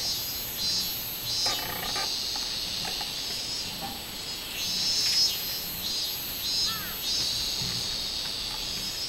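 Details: Robust cicada song recorded 24 July 2016: a continuous high, shrill buzz overlaid with rhythmic pulses repeating roughly twice per second, swelling and easing in waves.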